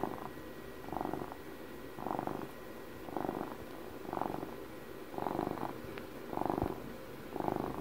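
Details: A 12-year-old pet cat purrs steadily at close range, the rough buzzing drone surging in regular swells about one per second, a faint click partway through.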